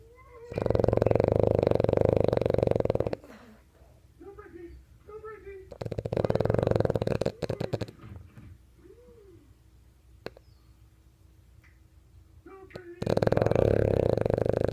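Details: A French bulldog snores in long, loud, rasping bursts with quieter whimpering sounds between them, apparently dreaming in its sleep.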